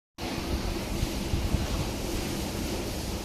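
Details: After a brief silence, a constant broad hiss of wind or rushing noise continues to the end with no animal sound.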